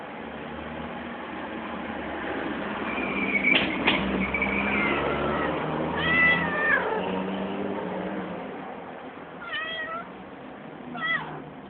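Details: Angry, hungry cat meowing repeatedly, several wavering, bent meows spread across the stretch with short gaps, over a low engine-like hum.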